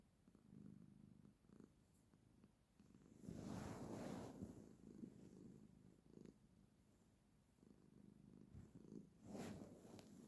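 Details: Female pet cat purring while sitting with her owner, a low throbbing rumble in breath-paced waves, interrupted twice by louder rustling of fur or fabric.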